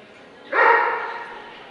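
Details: Dobermann, Limit Dog class, Scottish Dobermann Club championship show 2012: one abrupt, rich bark starting mid-clip, ringing and tapering off, over soft background noise.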